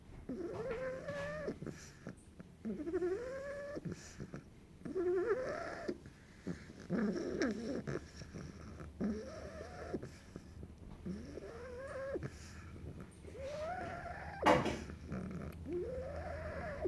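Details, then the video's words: Bulldog puppy Sephora asleep and snoring steadily: a repeated cycle of rising, whiny whistle-tones roughly every one and a half seconds, each ending in a breathy rasp, with one sharp click near the end. "Bulldog Puppy snoring session"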